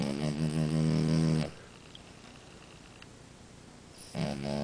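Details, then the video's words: French Bulldog Amora snoring: a loud, rasping, buzzing snore lasting about a second and a half, then quiet breathing, then the next snore starting near the end. "Bulldog Francês Amora roncando!"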